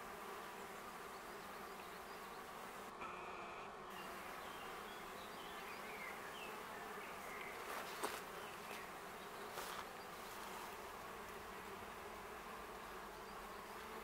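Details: In May, a steady, low droning hum of many wild honey bees flying busily around their colony in a tree in a shady city forest near a stream in Augsburg; the colony survived winter and grew strongly.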